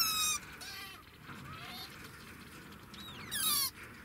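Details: Degu giving high, harmonic whistled calls: a bright burst at the outset, then a loud squeal that slides steeply downward in pitch near the end, over a constant low background hum.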